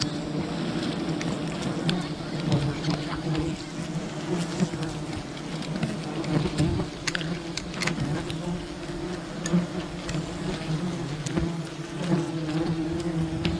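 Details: Wild bees from a colony raided for honey produce a continuous droning buzz, a thick low hum with stacked overtones, broken by frequent sharp taps and crackles from the harvesting.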